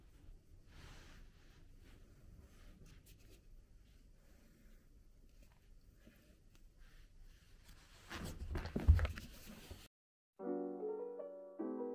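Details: Quiet indoor rustling and handling noises build to a loud thump, then short bright musical notes begin after a moment of silence, with no animal voice.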